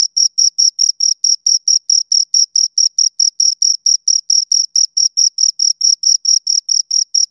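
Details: Shrill, even chirps from two crickets, clean high-pitched pulses evenly spaced a little over twice per second with short silences between, no other sounds present.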